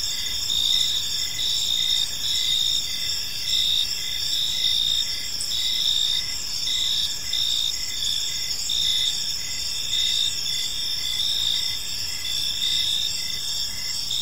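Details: In a serene park at evening, crickets keep up a dense high-pitched chirping chorus, repeated pulsed trills rising and falling in waves about once a second against quiet low background noise.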